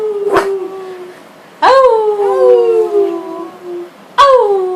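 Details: Frito the dog joins family howling in August 2012: a short howl, then two rising howls that slide slowly downward and trail off, separated by brief quiet gaps.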